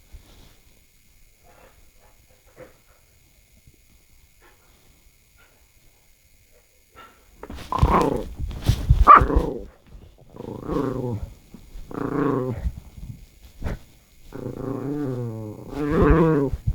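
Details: Strange noises from a house dog, either big Norang-i or little Bori: near silence at first, then a run of tonal, wavering groans and grumbling moans in separate bursts, some rising and falling like talking.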